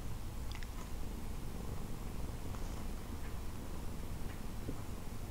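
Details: Nathan the cat, a house cat woken from sleep and drowsily drifting back off with his tongue sticking out, gives a quiet, steady low rumbling purr indoors, with a few faint clicks above it.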